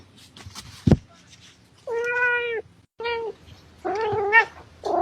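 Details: A domestic cat gives a series of clear, drawn-out tonal meows, each about half a second long with a steady pitch, separated by short pauses, after a single dull thump near the start.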